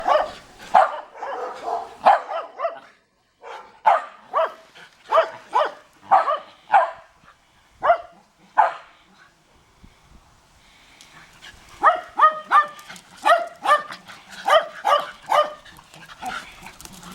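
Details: Shetland Sheepdog discovering that the neighbours have a dog: a string of sharp, mid-pitched barks about every half second, a short lull, then a quicker run of higher, clipped yapping barks.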